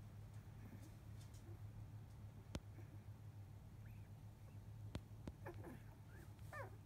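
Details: Two-week-old field Labrador Retriever puppies from biscuit's litter of eight, asleep after nursing; several thin, curving whimpers cluster in the last three seconds, with soft clicks and a persistent low hum throughout.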